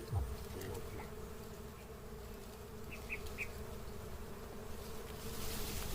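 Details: Wild honey bees at a natural nest near a house give a soft, steady low hum. Faint brief chirps sound in the background and a few words of speech are heard.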